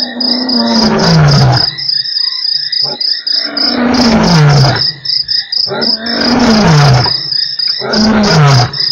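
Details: Lion roaring at Nkorho on 3 March, one of eight roars within an hour: long, deep moaning calls sliding downward, about four in nine seconds, each trailing into grunts, over a steady high chirping of crickets.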